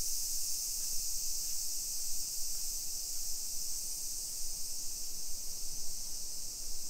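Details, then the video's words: Summer cicadas droning in a hillside residential neighborhood of Nisshin, suburban Nagoya, Aichi Prefecture, Japan, at 1 PM on 28 July 2021 during a street walk; a steady, high, hissing chorus fills the whole stretch without pause over low street rumble. "Summer Cicadas Sounds"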